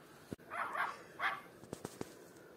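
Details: Young Miniature Pinscher named Nice, a puppy between five weeks and six and a half months of age, gives two quick high yapping barks, followed by a few sharp clicks and taps.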